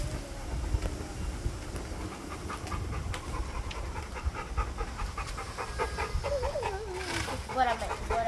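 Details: American Bully puppy panting in quick, steady breathy pulses over low rumbling background noise, with a human voice speaking briefly toward the end.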